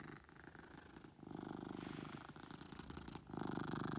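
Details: Pet cat named Beetle purring loudly indoors, a steady low rumble with a pause near one second, then louder stretches resuming in alternating inhale and exhale phases.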